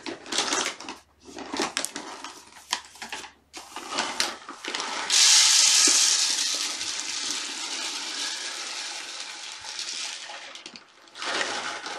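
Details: Indoor handling noise, rustling and a long hissing, whooshing rush fill a small room, with no animal call audible.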